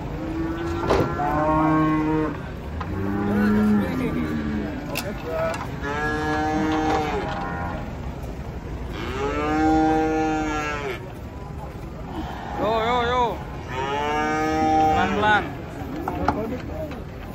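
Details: Cattle unloaded from a truck bellow again and again, loud drawn-out moos arriving every two to three seconds, some bending upward then down, while people call instructions in the background.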